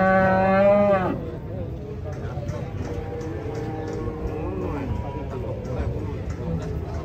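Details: Cattle being unloaded from a truck: a loud, rich, harmonic moo opens, then ends abruptly after a second, followed by a fainter, drawn-out lower moo that falls at the end, over steady engine and yard noise.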